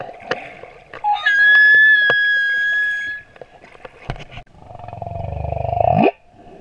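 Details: Singing male humpback whale at Moorea, a long steady high whistled tone with harmonics, then a rough moan sweeping upward into a squeal, amid underwater clicks.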